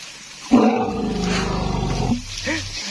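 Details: A wild Asian elephant in a Thai forest gives a loud, harsh, roaring trumpet lasting about a second and a half, heard before its capture with a trained elephant.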